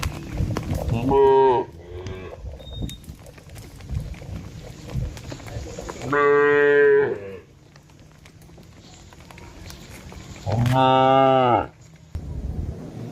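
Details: Cattle from a herd being driven off low three times, each moo about a second long, spaced roughly five seconds apart, with quieter background noise between calls.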